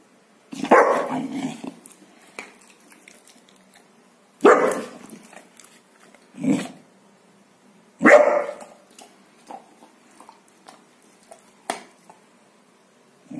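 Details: Golden Retriever guarding his bone, growling protectively: rough low growls in bursts around one, four and a half, six and a half and eight seconds, with quieter rumbles and clicks between them indoors.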